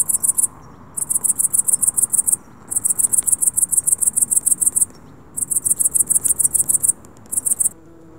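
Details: Cricket at dusk chirps in rapid, high-pitched pulsed bursts separated by brief pauses.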